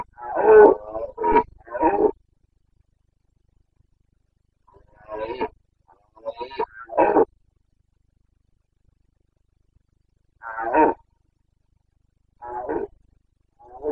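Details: Bucovina Carpathian stag in rut, breeding season, 29.09.2022: scattered hoarse roars and grunts in clusters of two or three, separated by several seconds of silence across the recording.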